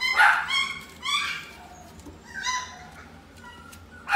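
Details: Chihuahua in a pet shop, Inu no Ie Shippo branch, with sharp high yaps at the start, then softer whining barks spaced about a second apart and a final loud yap.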